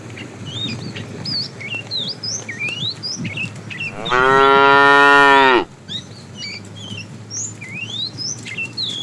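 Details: A cow in a herd of tame cows roaming a road in search of food gives one loud, rich moo lasting over a second, with small birds chirping around it.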